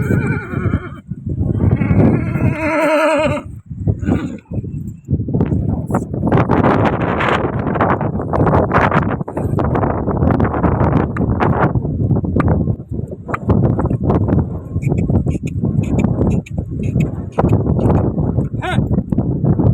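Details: A newly bought Kathiawari horse, taken out to a field with a red mare: a wavering whinny over the first three seconds, then steady rhythmic hoof thuds and clip-clop as it moves.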